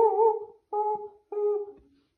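A Keeshond gives three sustained, tuneful howling notes, each held steady before sagging slightly at the end.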